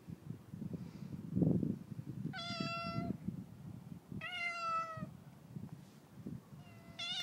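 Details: Friendly domestic cat being fed by a neighbour while its owners are away; three long, loud harmonic meows, each nearly a second, spaced about two seconds apart, with soft handling noises and low rustling between them.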